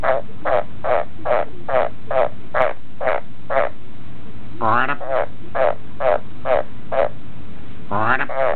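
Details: Captive Australian green tree frog croaking on demand, answering a person's croaks in hope of a cricket. Short, even, rasping pulses repeat about twice a second, broken twice by drawn-out, rising, harmonic croaks.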